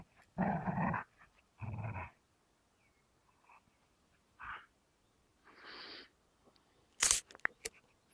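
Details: Amstaff Gerundio and Beagle Baloo contesting a fabric toy. Two strong, short growls open the clip, followed by quieter isolated grumbles, long stretches of silence and a sharp click near the end.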